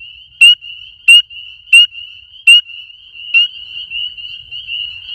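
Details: A small frog, very loud at night: four rapid piercing clicks about 0.7 seconds apart, a fifth fainter, then only a steady shrill high-pitched trilling chorus continues.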